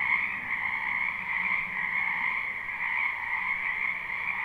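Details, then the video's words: Frogs croaking in a wetland in spring, a short stretch of their dense chorus: rapid overlapping trills fused into a steady high drone, a soft low rumble beneath. "Ambient Noise for Sleep Frogs"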